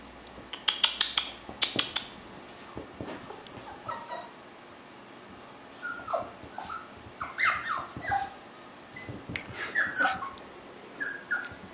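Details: Yorkshire Terrier puppies indoors: a run of sharp clicking taps early on, then short high whimpers and yips that bend up and down, coming in small clusters every second or so, with soft shuffling between them.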